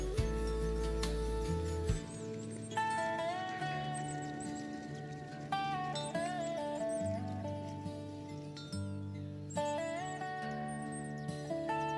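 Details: Only guitar-led music is heard, with no animal calls.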